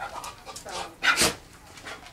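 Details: Dog panting: quick breathy huffs, two louder bursts near the middle, faint whimpery tones early on, indoors.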